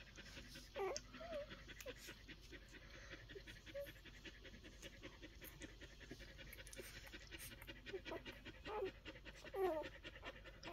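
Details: Week-old Collie pups panting in quick, rough breaths, broken by thin high squeaks and whimpers that bend up and down, clustered near the start and again toward the end.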